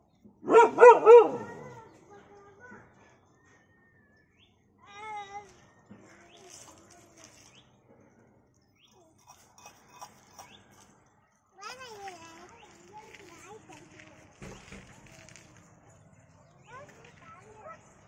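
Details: A dog gives a quick loud burst of barks at the start, then only faint, scattered yelps and whines follow over quiet background.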